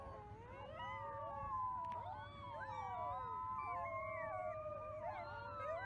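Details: A chorus of wolf pups howling together: many overlapping wavering tones rise and fall over a constant low hum throughout.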